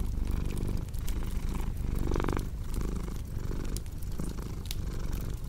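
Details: Deep, continuous cat purr with a brief brighter, louder swell near the middle, while the faint crackle and snapping of a fireplace runs underneath.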